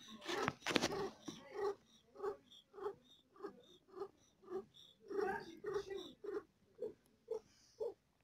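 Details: Female cat giving birth to four kittens and feeling pain, purring in a steady series of short pulses, roughly a hundred a minute, after a louder, noisier burst at the start.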